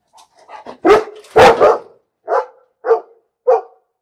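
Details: Series of barks from a dog, starting with a few soft yips, building to two loud harsh barks, then three evenly spaced medium barks about every half second.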